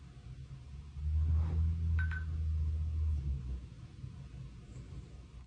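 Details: Shih-poo puppy snoring while asleep indoors: a low, steady rumbling snore lasting about two and a half seconds, with a faint brief click partway through, in an otherwise quiet room.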